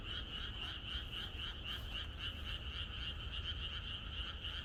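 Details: A chorus of many frogs croaking in the countryside on the night before rain: a dense, continuous pulsing of rapid overlapping croaks in two bands, mid and high, with a steady low rumble beneath.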